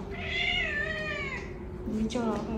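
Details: Domestic cat kept indoors, wandering a hallway and crying to go outside; one long drawn-out meow that rises and then sags over more than a second, followed by a person speaking.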